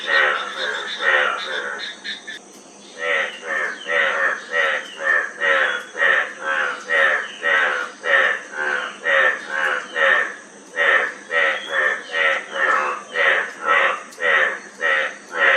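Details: Frogs calling in a steady chorus, short harmonic-rich croaks repeated about twice per second, with a few overlapping rasping calls at the start and a faint constant high hiss behind.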